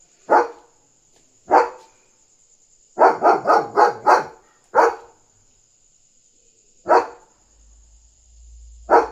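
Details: At night a German Shepherd guards its territory, barking to signal another dog outside. Isolated loud barks, a quick run of five barks, then two more well apart. A faint constant high tone and a low rumble near the end.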